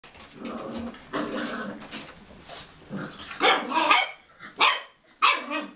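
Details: Cocker Spaniel playing in a bathroom: low, drawn-out growly whines at first, then three sharp, bright barks in quick succession near the end, with short silent gaps between them.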